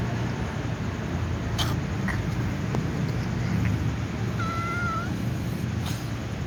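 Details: White cat about to eat with other cats, uttering one clear, level, drawn-out meow lasting under a second near the end, set against constant low hum and occasional brief knocks.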